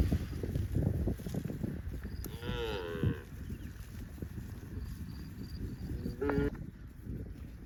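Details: Cows roaming in the fields: one drawn-out, harmonic-rich moo lasting about a second, a second short call a few seconds later, over steady low rumbling and trampling noise outdoors.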